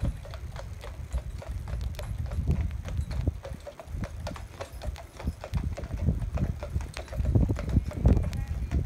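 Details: Two Clydesdales pulling a carriage in harness, driven by their owner visiting from Scotland; irregular clopping hoof strikes over a low rumbling background, with some human voices mixed in.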